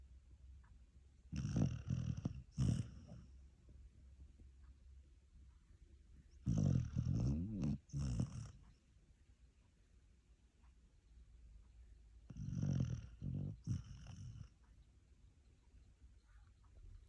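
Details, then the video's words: Sleeping puppy snores hard enough to keep its owners awake: rasping, low double-pulsed snore bursts come about every six seconds with near silence between them. "Щенок храпит во всю"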